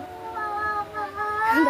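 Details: Domestic cats in a fight, one called Mini being urged forward; a long, drawn-out, wavering yowl with rich harmonic overtones, dipping briefly near the middle then swelling louder and harsher toward the end.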